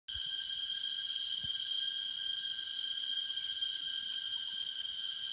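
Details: Cicadas in Taroko National Park, Taiwan, sing a steady, high, ringing drone that holds one pitch without a break.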